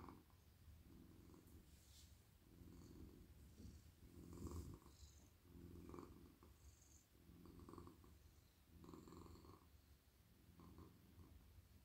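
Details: Stroked on the head, neck and body at night, a soft, silky male cat purrs in a lap: a deep, continuous rumble rising and falling in regular waves about every one and a half seconds, with faint handling noise.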